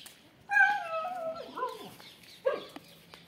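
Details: Excited female Siberian Husky Kittu, about to go out, makes a long wavering harmonic whine that bends and dips, then a short sharp yelp, over light background hum.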